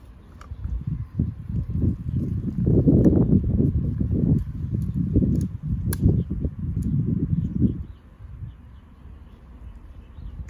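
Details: Golden Retriever gnawing on a branch as if it were a bone: dense, low, crunching bursts in rapid irregular succession for about six seconds, fading to quiet outdoor background near the end.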